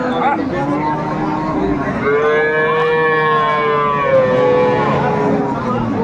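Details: Dairy cow with calf at Aftabganj livestock market in Dinajpur, Bangladesh, 21 April 2024: a long harmonic moo that swells and falls over about three seconds, with a second shorter moo after, amid crowd chatter.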